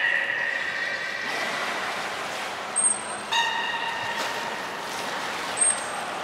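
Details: Belugas Gray, Mirai and Niko during a training session at Nagoya Port Aquarium, 16 December 2018: layered harmonic tones near the start and a brief stacked call mid-clip, with sharp high trainer whistle blasts and background hall noise.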